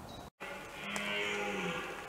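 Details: Red deer stag during the 2021 rut, with several stags present: one drawn-out, low bellow with rich harmonics, swelling and holding for about a second and a half after a brief silent gap.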